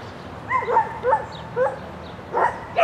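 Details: Sheltie Lesya yipping during an agility course run in spring, 22 May 2016: five quick, high, bending yelps within under three seconds, each with a clear tonal ring, over low steady background hum.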